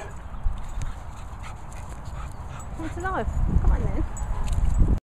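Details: Cocker Spaniel Indy, starting to play with Gizmo the Pointer at a dog training and boarding kennels in the Worcestershire countryside, gives a few short whiny yelps that bend up and down near the middle and end, with a person talking and low rumble throughout.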